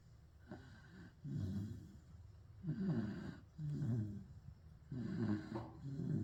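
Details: Sleeping pit bull snores with coarse, throaty rattles, paired in-and-out breaths repeating roughly every two seconds, steady and low-pitched with no other sounds.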